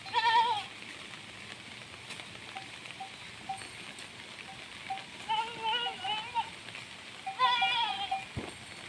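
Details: Three wavering, nasal bleats from a desi goat kept on a goat farm, spaced a few seconds apart, over constant background hiss with faint, short, bell-like tones.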